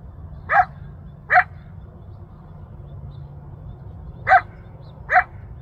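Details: In Newbury Park's Rancho Sierra Vista open space, Ventura County, a wild male coyote heard from about a mile off calls to his family and friends. Four brief, upward-sweeping yelps arrive in two pairs with a quiet gap between, over low steady rumble.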